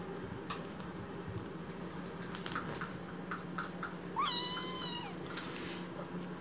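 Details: Rescued baby kitten in foster care, angrily protesting: one drawn-out meow near the four-second mark, rising sharply then holding level with rich harmonics, after scattered tapping and clicking sounds in a quiet indoor room.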